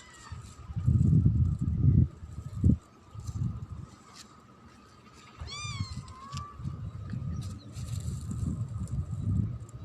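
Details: Domestic cat meowing near the recorder outdoors; one short, clear, tonal meow that bends up and then down, midway through, over steady low rumbling background noise and faint music.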